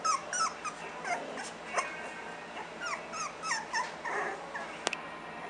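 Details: Three-week-old Miniature Schnauzer puppies in a litter, just becoming playful and barking at each other: short, high, squeaky yips and whimpers tumbling over one another in quick irregular bursts, with a sharp click near the end.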